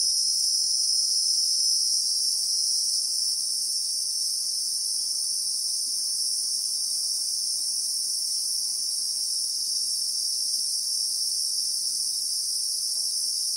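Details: Continuous shrill droning of Christmas beetles in bushveld, South Africa, in real time; the high, dense buzz never pauses or changes pitch across the whole stretch, with only faint low background rumble beneath.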